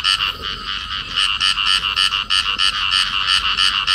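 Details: Field frog pair embracing while they call, giving loud, harsh, buzzy croaks repeated quickly at roughly three per second in an unbroken run across the whole stretch.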